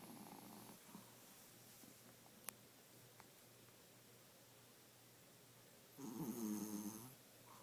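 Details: Bunnie, an elderly 12-year-old Pomeranian weighing 5 lb, asleep and snoring; soft raspy breaths at first, quiet stretch, then one loud, buzzy, drawn-out snore near the end.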